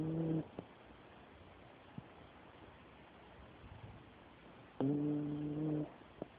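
A sleeping Dachshund snores with low, steady, humming tones separated by a long quiet breath.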